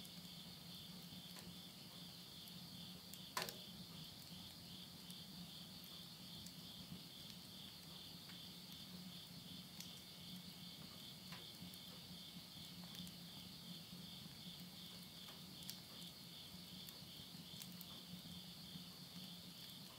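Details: September 2020 midnight in the Japanese countryside of Tottori, end of summer: a dense steady high-pitched insect trill fills the whole stretch, with a single sharp pop of burning wood from a stove and a faint low hum.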